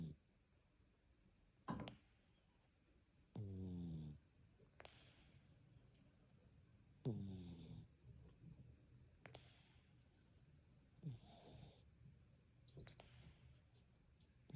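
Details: Snoring cat indoors: rough, throaty inhalation snores roughly every three to four seconds, some longer and rattling, others short snorts, with faint breathy sighs between them in a quiet room.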